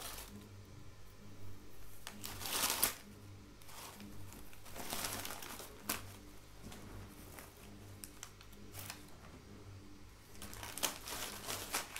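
Rustling, crinkling and scratching sounds in a small room, with no animal voice heard.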